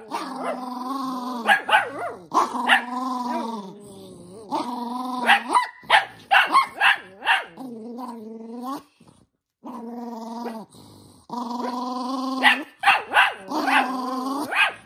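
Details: Toy poodle Minato growling in anger at having socks put on. Repeated harmonic growls last one to two seconds each, with quick snapping yips and clatter between them, and a brief near-silent gap midway.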